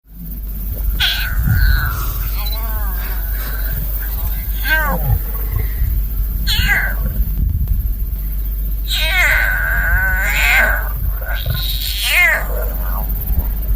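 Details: Hungry lion cub in Maasai Mara, Kenya, calling repeatedly to a lioness for food: a series of short, wavering, harmonic meows, some in quick runs, over a steady low rumble and possible voices.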